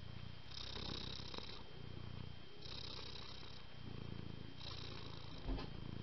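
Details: Domestic cat family: kittens born on the same day, kept at home and living with their mother, described as very affectionate. Low rumbling purr in long breathy cycles, each phase lasting about one to two seconds, with faint rustling in between.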